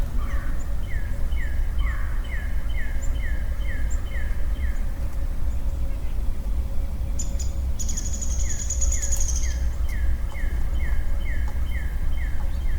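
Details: A lonely male western chorus frog calls in early-spring woodland: two long runs of short, creaky pulses, repeated quickly and evenly. Between the runs comes a brief high buzzy sound, with other faint chirps and steady low background rumble.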